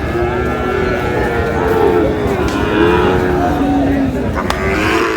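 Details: Sahiwal bull calves at a cattle market in Sylhet, Bangladesh, on 22 May: a drawn-out, low, harmonic moo runs through most of the clip, with market chatter and crowd noise behind it.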